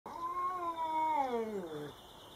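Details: Domestic cat meeting a Bengal neighbour for the first time: a long, drawn-out tonal yowl lasting about two seconds, holding steady and then sliding downward in pitch at the end.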